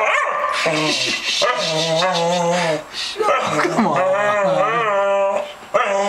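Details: Female Staffordshire Bull Terrier, two years old, protesting her Sunday night bath: broken, warbling howls and whines that bend up and down, interrupted by short gaps, with a person's voice coaxing her in between.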